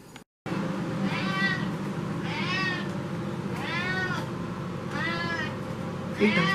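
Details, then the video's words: Domestic cat Tikhon, active in the evening as cool nights set in, loudly demanding food indoors: five drawn-out harmonic meows, each arching up then down, about one per second, over a steady low background hum. "Кот Тихон устроил скандал: кричит, требует еду"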